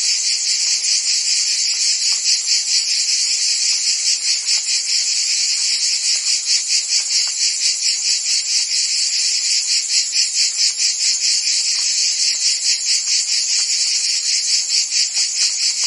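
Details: Steady chorus of crickets and insects, high and bright, with fast regular pulses beating through a continuous trilling wash, about two beats a second, unchanging throughout; intended as calming night-time sound for sleep and tinnitus relief.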